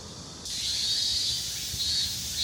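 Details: Cicadas on a hot summer day in Seoul fill the air with a steady, high-pitched shrill buzz that starts abruptly and holds without pause, the "maem" call of the cicada.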